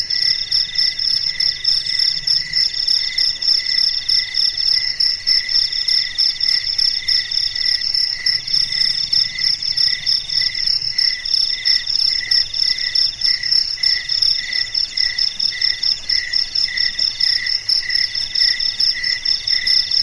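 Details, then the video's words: Crickets singing at night in a quiet setting: continuous high, tinkling trills in stacked pitch bands, rapid regular pulses from several callers, with a faint low rumble in the background. "SUARA JANGKRIK MERDU DI MALAM HARI"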